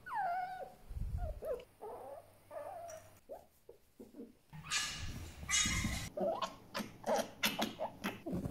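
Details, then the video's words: Djinn, a pet fennec fox, indoors: descending whistled whines at the start, then scattered short squeaks, huffs and bursts of noisy broadband chatter, with some low thumps. "Cute but LOUD | Funny Sounds Compilation 2021"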